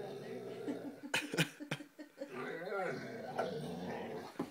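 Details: Tom, a five-month-old Great Dane puppy, plays with his reflection indoors before bedtime. He gives a low rumbling growl broken by sharp yips and a wavering whine, with soft human voices underneath.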